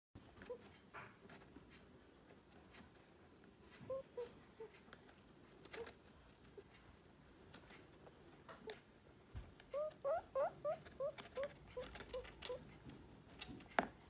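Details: Pet guinea pig. Scattered faint squeaks come first, then a run of about eight short, rising squeaks in quick succession, with clicks and rustling in a small room.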